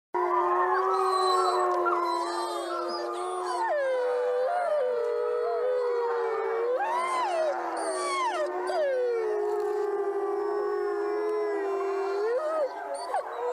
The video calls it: Wolves Howling